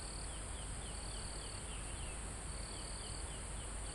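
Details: Near a mountaintop forest, insects and crickets keep up a shrill steady drone while a trill breaks in and out, joined by a quick series of short downward-slurred chirps; wind murmurs low throughout the live recording.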